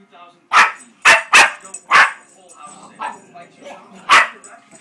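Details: Indoor puppy goes wild at a carpet advert on TV, disliking its soundtrack: four loud barks in quick succession, softer grumbling yips, then one final sharp bark.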